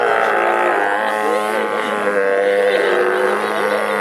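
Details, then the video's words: Captive sea lions at Vancouver Aquarium in 2016 calling loudly: a continuous dense chorus of harsh, braying, harmonic-rich barks and moans overlapping throughout. "Very Vocal Sea Lions"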